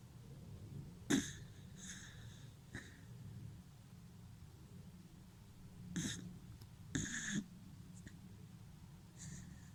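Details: A sleeping Dachshund snores in a small room, giving irregular snuffling snorts with airy nasal hiss, some paired close together, others separated by several seconds of soft breathing.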